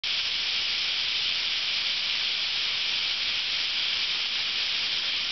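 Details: Thousands of cicadas in summer at Ryokuchi park, North Osaka, Japan, singing together as one steady, dense, high hiss that holds unbroken and even throughout, with no gaps or separate calls.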